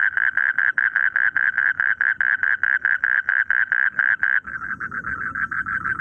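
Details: Frogs calling in rice fields: fast, evenly spaced rasping pulses, about five per second, in a loud run of some twenty notes. A softer, rougher chorus follows after a brief break.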